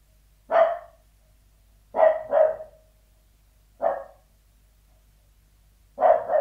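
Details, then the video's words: Sealyham Terrier barking indoors behind a door: five short, sharp barks, a pair among them, separated by quiet pauses of one to two seconds. "Sealyham Terrier Barking Behind Door, Interior"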